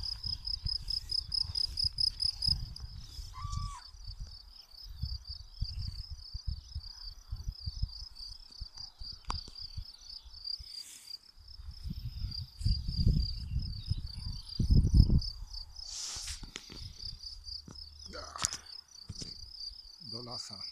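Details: Crickets chirping as a steady background on the wide meadows of Kujawy, Poland, on an afternoon walk: a continuous high, pulsed trill running through the whole recording, with low rumbling wind and footstep noise and a brief call of another animal.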